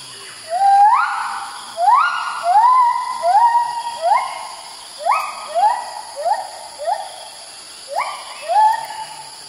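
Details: In the early morning at Kaeng Krachan National Park, Thailand, one white-handed gibbon in a group calls profusely while moving from branch to branch, giving loud, rising, swooping hoots repeated in quick bursts.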